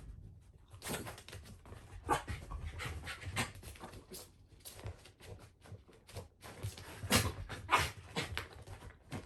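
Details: Shiba Inu Ranmaru indoors in a small room, excited after smelling a blanket where a family member, home after three months away, hides; quick breathy panting and sniffing bursts, irregular, some louder puffs, faint rustling.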